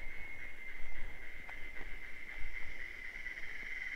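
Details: In the Brazilian sertão of Bahia, cicadas sing a mating chorus heard as a constant high, slightly wavering drone, with occasional soft ticks and low rumbling noise underneath.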